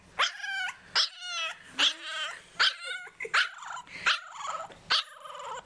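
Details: English Bulldog puppy, born November 2012, home-raised, usually very vocal: a run of short, high, strained yapping barks, about one every 0.8 seconds, each with a harmonic-rich squeal, some edging into whines.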